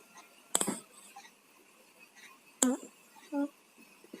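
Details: Tayen and Lilu, two pet cats with colds, snoring while asleep indoors: a sharp breathy burst, then a squeaky nasal whistle that drops in pitch, with a short whistled wheeze near the end in a quiet small room.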